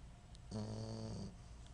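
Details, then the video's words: Dog snoring while dreaming indoors; a single low, buzzy, droning snore lasting under a second, with a rich stack of tones, in a quiet room. "Fogey snores when he dreams"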